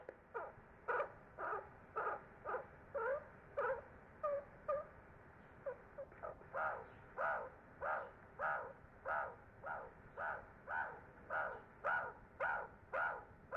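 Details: Baby meerkats venture out of the burrow for the first time, calling loudly with a steady run of short, hoarse chirping squeaks, some softer and clipped, about two per second over low background hiss.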